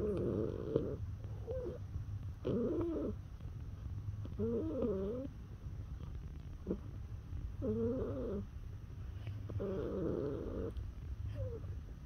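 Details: Cat, neutered male born 18 September 2017, answering being touched with warbling, wavering trills that rise and fall in pitch, grouped in bursts every couple of seconds, over a continuous low purr.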